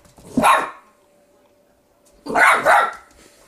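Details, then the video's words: Puppy barking at its own reflection in a mirror: two sharp, bright barks about two seconds apart, the second a quick double bark, indoors with a faint steady hum. "Puppy in the mirror"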